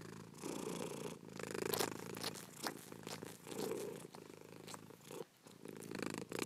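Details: Cat purring softly, a low rumbling hum in uneven breath phrases, mixed with scattered small clicks and rustles and one brief pause.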